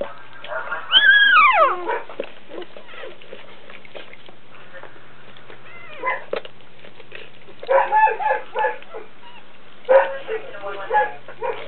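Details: Birth of Dobermann puppies: one loud, high whine slides steeply downward early on, followed by quieter scattered squeaks and short bursts of murmuring sounds over a constant low hum.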